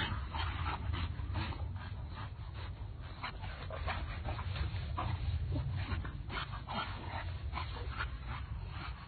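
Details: Pit Bull dog in a compilation of funny pet clips, giving a rapid, irregular run of short yips and whimpering barks over a steady low background rumble.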